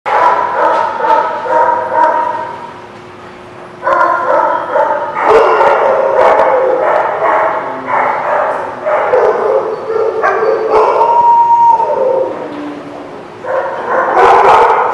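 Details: Many dogs at The Barking Lot on April 28, 2017, barking over one another in a dense, overlapping chorus, with sharp broadband barks mixed with whining, tonal yelps; a brief quieter lull near four seconds before the din resumes.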